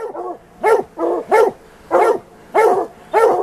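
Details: White deer Plott hounds baying at a big tom mountain lion they tracked; steady chopped barks repeated roughly every half second, each a harmonic rise and fall.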